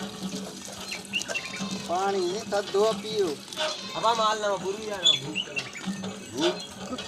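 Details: Goats in a rural village amid natural surroundings, with several quavering, vibrato-laden bleats in quick succession, some overlapping, over a constant low hum and faint background chatter.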